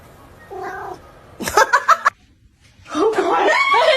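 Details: Domestic cat indoors: a faint short note, then a burst of scuffles and clicks, then a drawn-out, wavering yowl rich in harmonics, with a woman's voice talking around it.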